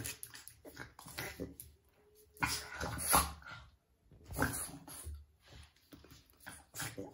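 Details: Two Boston Terriers in a mock fight indoors, a love/hate squabble without reason; bursts of harsh growling and snarling rise and fall in loud surges, separated by short quieter pauses, with scuffling between.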